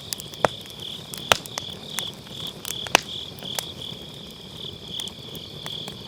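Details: Beside a round fire-pit campfire on an autumn night, grass insects sing an unbroken shrill pulsing trill, punctuated by a few loud wood pops and softer crackles; Sennheiser MKE600 with low cut.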